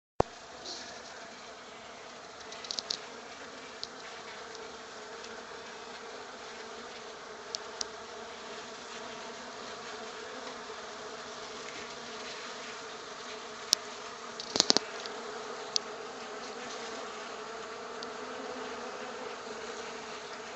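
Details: Honey bees that have unexpectedly settled in a workshop make a steady, layered humming drone of many wings, with a few sharp knocks.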